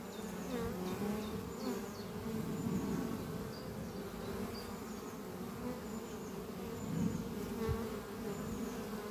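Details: Worker honey bees flying around beehive Doppio on a spring morning, the colony thriving after winter and returning with pollen: rich layered hum, low and steady, rising briefly near the end, thin bird calls in the background.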